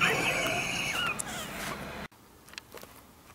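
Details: Ginger kittens about one month old, born to a rescued stray mother cat and kept indoors, give high squealing meows with rising and falling tones for two seconds, then only faint soft clicks and rustles.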